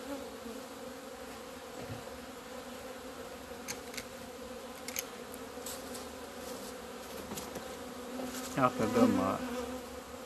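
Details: Buzzing of honey bees emerging into sunshine on 17 February 2020 after two months inside the hive. A continuous hum with scattered ticks, then a louder bee buzzes close past near the end.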